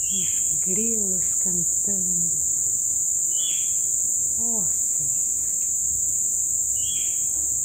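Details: Crickets at a colourful sunset after several days of heavy rain, a dense, unbroken high-pitched trilling chorus throughout, with a few short lower curving calls and high chirps breaking in during the first half.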